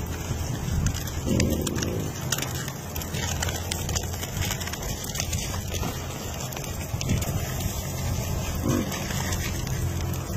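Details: A wild boar walking on a mountain gives low, rough grunts over a steady rumbling background.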